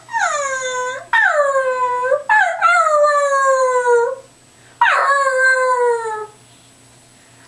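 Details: A Cairn Terrier sings and howls on command, giving drawn-out, falling wails, several in quick succession with brief pauses; Cairn Terrier.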